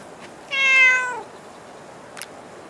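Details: Cat meowing at Dockyard Garden on an August 2016 morning: one loud, drawn-out meow lasting under a second. It starts bright and slides gently downward, followed by quiet and a single brief click.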